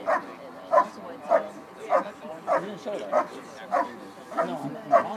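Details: A dog barking in a bark and hold exercise at the 2013 Schutzhund USA Nationals: forceful barks repeated at a regular rhythm, nine in five seconds, over a busy background of voices and arena noise.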